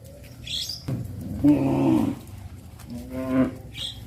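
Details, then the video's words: Cows moving along a village road toward the livestock pen in the afternoon on a traditional farm; two mid-pitched moos, one longer and one shorter, with brief bird-like chirps and rural background noise. "The cows travel through the village road to the livestock pen in the afternoon-Sound of cows moo"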